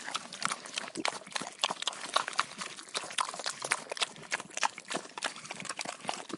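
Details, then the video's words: Chewing and smacking from pigs at a meal: sharp crisp crunches and moist clicks come in quick bursts, with a few louder snaps standing out. "Pigs Eating Sound Effect"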